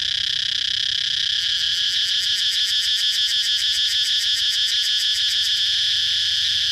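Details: Outdoor cicada noise: an intense, high shrill drone, throbbing with rapid regular pulses through most of the clip, then smoothing into a continuous hiss near the end.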